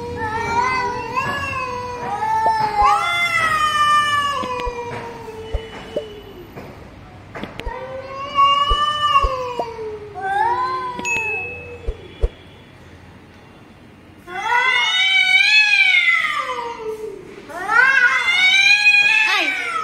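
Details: Female pet cat in a backyard fighting a stranger cat that invaded her territory: long, drawn-out wavering yowls that rise and fall in overlapping bouts, a brief quiet spell, then louder, higher strained yowls.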